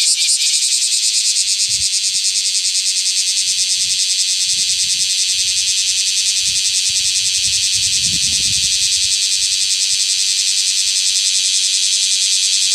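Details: Bear cicada male calling next to the shed skin it emerged from, Osaka, midsummer; an intense, unbroken, high-pitched grinding drone with a rapid pulsing texture and faint low knocks.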